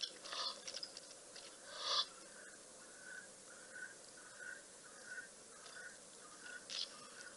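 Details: An African wild dog at Rosie's Pan, Balule Nature Reserve, South Africa, recorded by webcam on 6 September 2021, gives a run of soft, high, even-pitched notes about twice a second.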